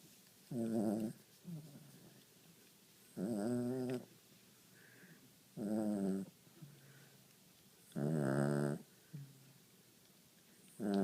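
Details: Pet dog snoring indoors in a small room: deep, rasping, buzzy snores with rich harmonics, each lasting about half a second to a second, repeating roughly every two and a half seconds, with softer wheezy breaths between.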